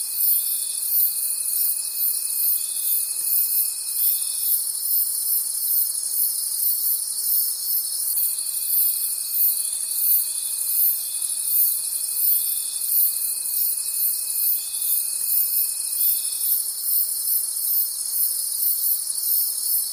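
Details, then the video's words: Many crickets trilling together in a forest at night, a bright high continuous shimmer beating in rapid even pulses, with a faint steady tone appearing and dropping out twice. "Forest Sounds and Cricket Conversations at Night"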